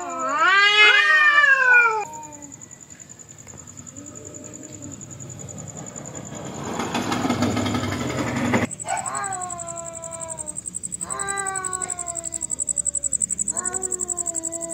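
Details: Cats in a fight: a loud rising-then-falling yowl opens, followed by quieter low moans and a burst of rushing noise, then a run of shorter wavering wails. A constant high electronic whine runs underneath.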